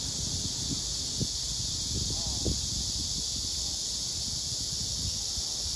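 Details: A Korean cicada (참매미, Hyalessa fuscata) of unknown sex, on a tree trunk and later on a high branch, gives a steady, high, hissing buzz without a break, over low rustles and soft thumps nearby.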